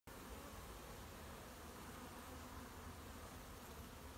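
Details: Honey bees of a newly arrived swarm working at an apiary on 20 July, collecting honey; a steady low droning hum with faint tonal bands runs unbroken throughout, over a wash of broadband hiss.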